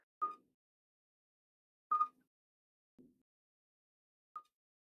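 Common midwife toads give short, pure, bell-like whistled notes, spaced a second or two apart, from two calling males.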